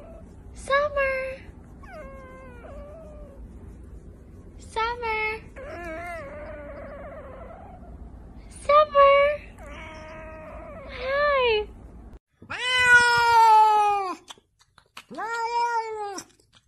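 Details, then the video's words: Domestic cats making human-like, talking sounds: a series of wailing, bending meows at irregular intervals, some rising then falling and some long and drawn out, with people talking and a steady background hum. "Talking Cats!! Cats Making Human-like Sounds"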